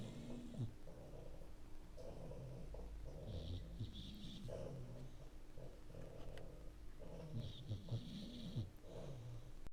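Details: A puppy not yet three months old snores in a duet with a second dog. Deep, grumbling breaths repeat roughly every second, and some carry a slight rattle. A soft background hiss runs throughout.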